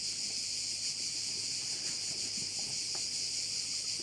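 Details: Crickets heard from a bay on Korčula, a continuous shrill wall of sound with a subtle quick throb throughout, with scattered soft low knocks beneath.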